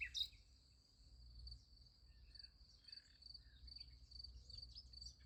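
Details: Softer night cricket chirping beside a sunflower field, a thin, high, continuous pulsing at one steady pitch, opened by a single brief bird chip and backed by quiet low-frequency noise.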